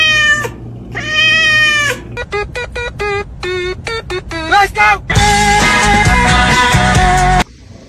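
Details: Domestic cats meowing: a run of short, bright, harmonic meows, some clipped and rapid, some drawn out and wavering, followed by loud music taking over near the end.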